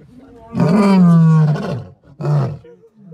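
A lion gives a deep, drawn-out moaning roar, followed by a shorter grunting second burst.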